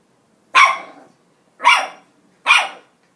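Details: Chihuahua puppy being naughty: three sharp, high barks spaced under a second apart, each bright and quickly fading, while a person scolds it.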